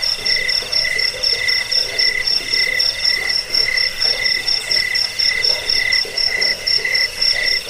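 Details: Jangkik cricket in steady chorus, offered to drive off rats, aid sleep and tutor cage birds: piercing high pulses stacked with a lower ringing tone, beating about twice a second, unbroken, with light background hiss.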